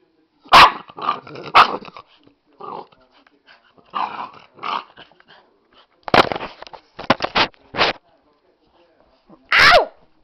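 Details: Angry Bull Terrier puppy giving short, harsh growling and barking bursts in irregular clusters, some loud and sharp, with quiet gaps between; a person speaks briefly nearby.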